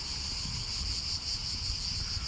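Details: Cicadas drone in a steady, high-pitched, unbroken buzz over a low rumble of wind and traffic, heard on a busy uphill street in Rome, southern Italy, while walking up to the Etruscan museum by day.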